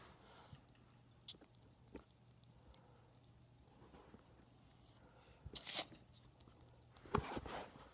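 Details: Ferrets with a cold sneezing indoors: a few faint soft clicks early on, then two sharp, explosive sneezes around the last two seconds, the first the loudest, in an otherwise quiet small room.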